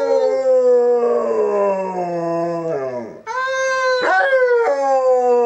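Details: Pet dog howling indoors in a quiet, empty house while its owner urges it on; long harmonic howls slide downward, break off, then restart higher and fall again with wavering notes, and a person's voice is faintly heard.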